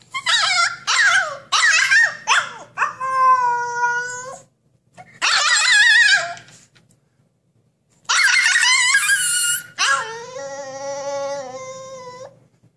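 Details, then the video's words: Husky puppy shut in a cage and wanting out, alternating harsh rapid yips with drawn-out, steady, tonal howls that hold a flat pitch, in three bouts separated by short silences. "Husky puppy wants to break out of his cage"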